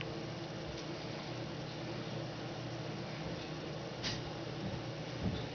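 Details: A quiet indoor room hum with a low background drone, a faint click and a soft thump near the end.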